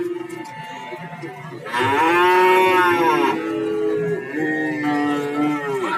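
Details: Cattle at Nganjuk's Warujayeng market. A quieter low is followed by a strong, rich moo of almost two seconds, then further drawn-out moos from other animals overlap, with market bustle behind.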